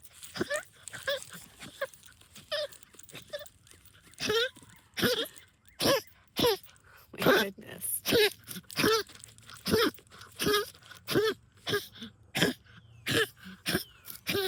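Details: Rosie, a pet dog, excited while hunting moles and digging in backyard trenches, gives goose-like honks. Short nasal bursts repeat roughly once a second, with quieter snorts early on and a person's voice nearby indoors.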